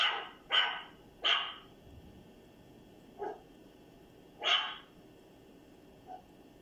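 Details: A dog described as strange gives four sharp, harsh barks in a quick cluster at the start and again after a pause, with two softer, shorter yelps in between, over a steady high-pitched background hum.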